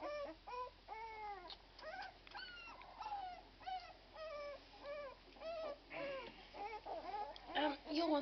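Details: Twelve-day-old Irish Red and White Setter puppies give thin, high, arching whines, each rising then falling, repeated roughly twice a second and growing louder and more overlapping toward the end; a person's voice is briefly heard.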